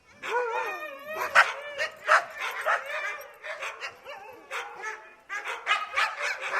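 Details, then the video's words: Dogs barking at a gate, sharp irregular barks mixed with whining, whimpering yelps and a drawn-out howl-like cry near the start, several animals calling over one another. "cachorro latindo no portão"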